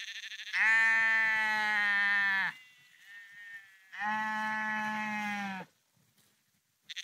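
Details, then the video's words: Sheep on the Porrenkoogdeich near Husum in Nordfriesland, walking along the dike, give two long, steady, rich bleats of nearly two seconds each, with a softer bleat between them and another starting at the end. "Sheep Walking Husum Porrenkoogdeich"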